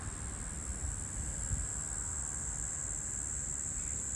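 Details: One or possibly two male Brown Bunyip cicadas (Tamasa tristigma) call from a tree on 12 March 2023, a steady, high-pitched buzz that holds without a break.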